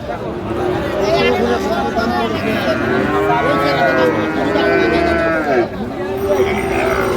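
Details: Sahiwal bull calves at a cattle market in Chattogram, Bangladesh, 7 March 2025: several overlapping drawn-out moos, arching up and down in pitch, sound across a busy market under steady crowd chatter and voices.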